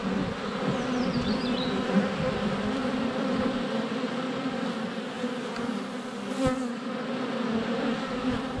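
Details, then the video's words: Honey bees constantly flying at the hive entrance on a sunny February day, GoPro Hero 7 Black within a foot: rich continuous buzzing hum, a sharp knock from a bee landing on the camera, faint bird chirps early on. "4K Honey Bees - ambient video and audio"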